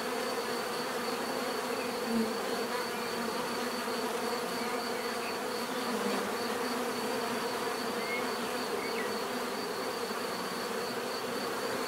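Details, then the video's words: Constant buzzing of many bees, a smooth layered drone with brief nearer buzzes at moments and a steady thin high tone overhead. "bees therapy relaxing natural buzzing sound"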